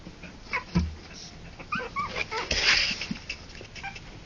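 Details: Three-week-old Harlequin poodle puppies, born October 28 2009, give thin high whimpers and short squeaky yips in a small burst, with shuffling and rustling noises around them.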